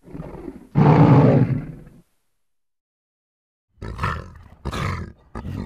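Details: Lion: a low growl swells into a strong, harsh roar of about a second that fades out. After a long silence come three short rasping snarls in quick succession.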